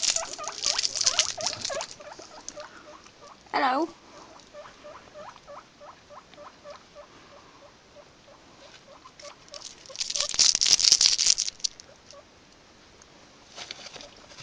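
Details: Pet guinea pigs making a long run of short, evenly repeated squeaky notes, with one louder rising squeal, amid bursts of rustling bedding.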